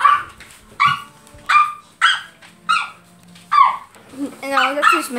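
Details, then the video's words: Great Pyrenees dog barking: a run of loud, short barks repeated roughly every half second to second, then a longer wavering whine-like bark at the end; quiet background with a faint voice. "Great pyrenees barking."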